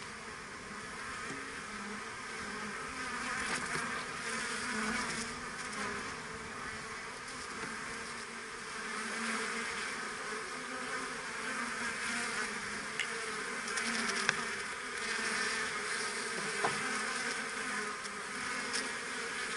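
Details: Honeybees of the keeper's own colony, shown at work; a dense, steady buzzing hum of many bees with bands near 200 and 500 and a broad hiss above, continuous for the whole stretch with faint clicks.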